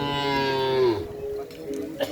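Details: Racing bull of the Bentar Alam Muda kerapan sapi bull-race team on Sapudi Island, Madura, gives a steady, rich low moo lasting about one second that falls in pitch at the end, followed by background murmur and a faint click.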